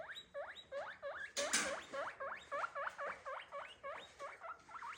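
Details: Pet guinea pig calling with a quick run of high squeaky whistles, each sweeping upward, about three a second, interrupted by a short rustling burst.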